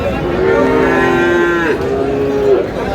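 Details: Sahiwal bull calves at Aftabganj cattle market in Dinajpur, on 4 August as trading begins: two long, steady, low moos follow one another, each holding an even pitch, over a faint murmur of the market crowd.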